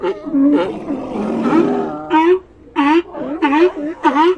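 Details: A sea lion colony: loud, rough barks with a falling pitch come in separate bursts about a second apart, after a longer stretch of blended groaning calls.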